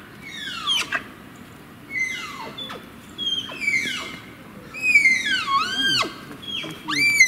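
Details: A Malayan tapir (Tapirus indicus) at Tama Zoological Park, where a parent and young tapir are kept, gives shrill, whistle-like squeals that sweep sharply downward, repeated about every second, a higher call than expected.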